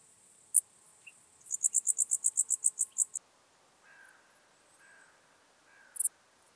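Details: Common dark bush-cricket in Tuttlingen, Germany, on 8 October 2022: a series of about ten very high, sharp chirps in quick succession, each brief, plus a few isolated clicks. Faint crow-like calls sound in the background.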